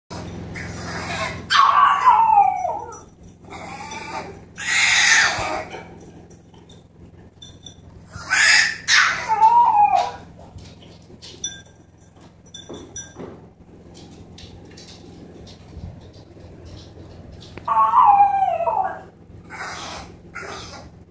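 A French Bulldog puppy cries in drawn-out, wavering wails that sound much like a human baby.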